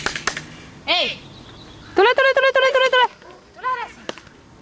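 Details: Small one-eyed dog, nervous in a shelter, gives high-pitched yelping barks: a single yelp, then a rapid burst of about six sharp yaps, then one more yelp, with a few clicking knocks at the start.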